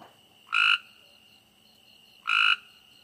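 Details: Two brief harsh croaks from a frog at night, roughly one and a half seconds apart, against a faint steady high insect drone.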